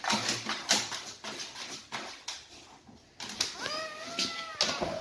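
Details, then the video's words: Siberian Husky at the birth of a litter of puppies; an indoor scene with noisy rustling, then a clear, high, wavering whine with a rising and falling pitch near the end. "Nascono i cuccioli! Il parto nel cane (Siberian Husky)"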